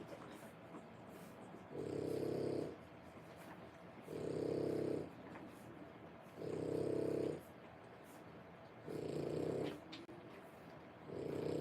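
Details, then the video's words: Nursing French Bulldog dam with a litter of three-week-old puppies indoors. She gives a steady run of five coarse, low snorting breaths, each under a second long and spaced roughly every two and a half seconds. "French bulldog puppies. 3 weeks old"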